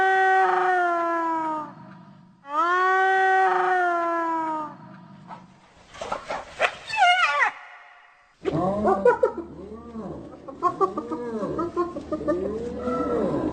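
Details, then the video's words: Hyena calling: two long, steady, harmonic low moaning tones of about a second and a half each, followed by a burst of rapid, arched, giggling notes that rise and fall in quick succession. "Hyena Sounds"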